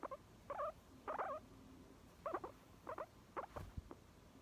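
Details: Guinea pig making short wavering squeaks in loose pairs and bursts, about seven over four seconds, with a faint low hum and a soft thump near the end.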